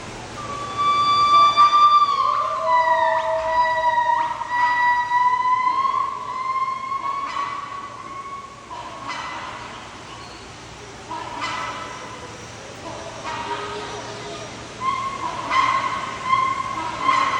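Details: Gibbons calling at sunrise: clear whistled notes near one kilohertz rising and swooping upward, some with a lower hooting voice beneath, repeated in overlapping bouts with faint harmonics throughout.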